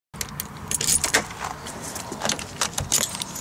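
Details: Keys jangle in a series of bright metallic rattles, with a car and vehicle noise in the background outdoors. No animal voice is heard.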